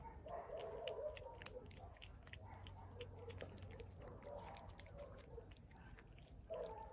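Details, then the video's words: Hungry street cat eating, with wet chewing clicks throughout and sustained murmuring, humming tones in bursts of about a second, rising again near the end. "Hungry street cat eating and making funny noises at the same time"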